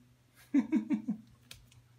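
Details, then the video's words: French bulldog crying indoors: four short, high whimpers in quick succession, each sliding downward, within about half a second, followed by a soft click and a low steady hum. "French bulldog cries"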